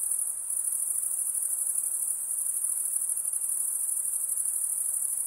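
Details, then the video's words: Insects producing a bright, high-pitched ringing trill that runs evenly from start to finish with a slight wavering pulse. "Relaxing high pitched INSECT sounds"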